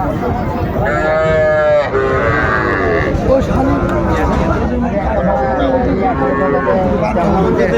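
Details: Cattle at a market in Mymensingh, Bangladesh, on 14 January 2025, where small bulls and heifer calves are being bought: a drawn-out, strongly harmonic moo lasting almost a second, then a second lower call, over constant men's bargaining chatter.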